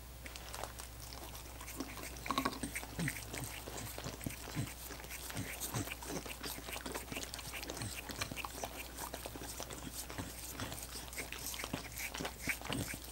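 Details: Dogs licking frozen coconut water popsicles: a dense, continuous stream of quick wet licks and occasional chewing crunches, loudest around the two-second mark, low hum underneath, no talking.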